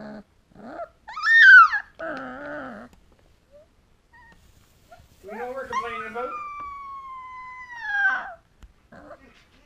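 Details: A 2-week-old female Alaskan Malamute puppy howls for the first time, giving thin, high, wavering howls that rise and then slide downward.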